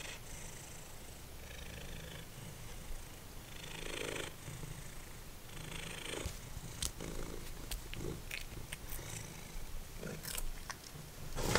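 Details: Formerly feral cat Simba purrs as he snacks on dried minnows inside; continuous low throbbing purr throughout, broken by bursts of crunching and sharp clicks of chewing.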